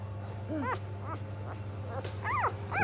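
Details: Hungry puppy crying with short, high, arched whines, about four of them in under three seconds, some sliding up then down, over a steady low hum.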